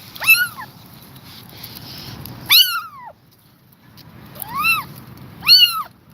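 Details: Exhausted but refusing to leave her kittens, a mother cat is heard. Four brief, arched meows rise and then drop, arriving in two pairs about two seconds apart over a soft low rumble.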